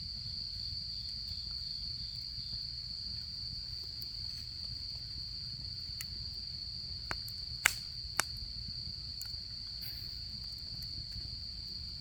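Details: Autumn insects heard at a campfire during camping season: a constant high, ringing trill holds steady from start to finish, while a cluster of wood pops and snaps bursts out about two-thirds of the way through.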